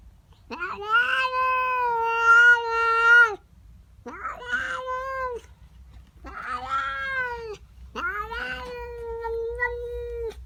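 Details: Domestic female cat indoors in the morning, upset at another cat in her garden: four long, drawn-out, wavering yowls with rich harmonics, the first about three seconds, separated by short pauses; faint low hum beneath.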